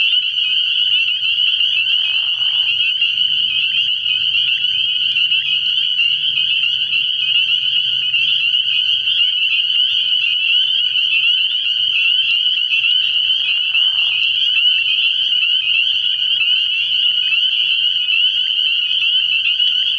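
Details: Night chorus of numerous spring peepers at a pond in early spring. The massed high, ringing peeps form a constant shrill drone, with brief lower sounds and a faint low murmur underneath.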